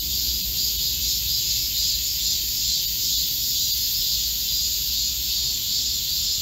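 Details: Steady shrill cicada chorus in a Korean forest in midsummer heat, 25 July 2024, an even metallic buzz over a soft low background rumble.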